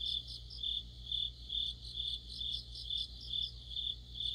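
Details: A mid-autumn orchestra of crickets and other insects beside a streetlight, sounding as a shrill pulsing trill with beats a little under half a second apart, over a steady low hum.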